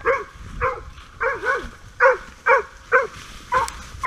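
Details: Polish Hound working as a hunting dog on a driven wild boar hunt in November 2019, giving a run of about eight short, sharp, mid-pitched barks, roughly two per second and slightly irregular, some with a wavering double note.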